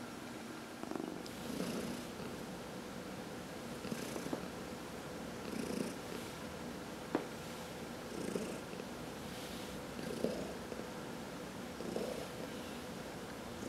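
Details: Massaged house cat purring, one of four cats. Long, even purr pulses about every one and a half to two seconds, with soft breathy hisses above the rumble and an occasional sharp tick.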